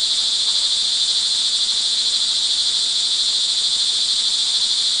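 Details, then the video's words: Rain-soaked crickets in Montalban, Rizal, Philippines, early evening of June 24, 2011, keep up a continuous shrill pulsing trill, many insects overlapping into one even high-pitched hum. "sound recording of crickets in the rain"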